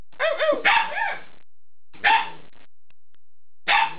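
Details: Alaskan Malamute puppies, eight weeks old, calling out in a cluster of yips and arching, wavering whines near the start, followed by two short separate barks after pauses.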